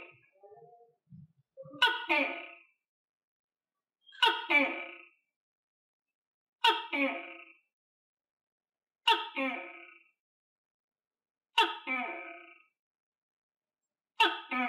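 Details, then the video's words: A tokay gecko, kept and fed crickets, opens with soft low croaks, then gives six strong barking calls at steady intervals of about two and a half seconds, each sudden and harmonically rich, fading quickly. "Tắc Kè Hoa Ăn Dế Và Nghe Tiếng Tắc Kè Kêu - Tokay Gecko Eat Crickets And Gecko Sound Effect"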